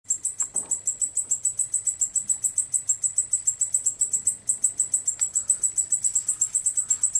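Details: Male Decticus albifrons katydid stridulating: a dense, high buzzy pulsed song, rapid regular pulses running continuously, with a few faint low knocks underneath.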